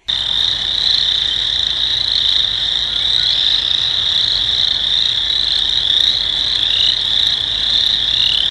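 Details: Spring peepers chorusing in wetlands near Chippewa Falls, Wisconsin, on a spring day, April 24th: a dense, continuous wall of high, shrill peeps from many frogs, unbroken throughout.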